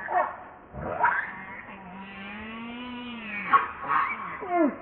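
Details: Baby monkey Leo crying and begging his mother for milk: a long, tonal, whining wail rising and falling over about two seconds, framed by shorter harsh squeals and cries.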